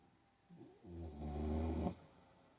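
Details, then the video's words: Olde English Bulldogge snoring while asleep: one long, low, harmonic snore swelling over about a second, then fading, with quiet breathing before it. "olde English bulldog snoring while sleeping"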